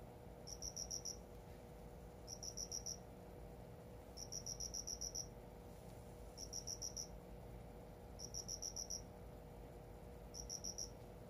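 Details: Cricket kept indoors in a newly made home, chirping steadily: six crisp, high-pitched pulsed trills of four to six beats each, repeating about every two seconds against a faint low background hum.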